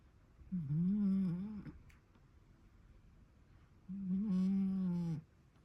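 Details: Sleeping cat snoring: two drawn-out voiced snores of just over a second each, a low buzzy droning tone with a slight pitch wobble, separated by a quiet pause.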